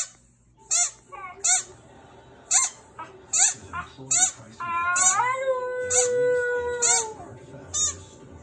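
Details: Husky-Samoyed mix named Luna responds to a squeaky toy: a string of piercing squeaks about once a second, then a sustained, slightly rising-then-level howl lasting over two seconds before the squeaks resume.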